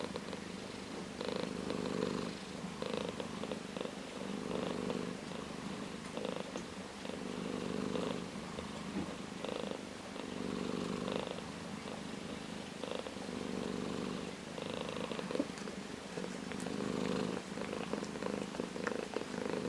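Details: Orange tabby domestic cat purring steadily for the whole stretch, a low continuous rumble that swells and eases in soft waves with brief dips between breaths, recorded close in a quiet room.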